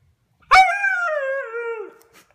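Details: Siberian Husky talking indoors while being questioned about biting a couch: one long whining howl, starting sharply then sliding slowly downward over about one and a half seconds, with rich harmonics; owner's voice before and after.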